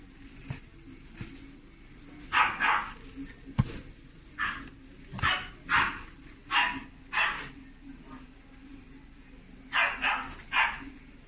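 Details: Pet-shop Chiweenie puppy in Japan yapping in quick high-pitched yips, often in pairs and triplets, with short pauses between bursts, against constant background hiss and a few clicks and knocks.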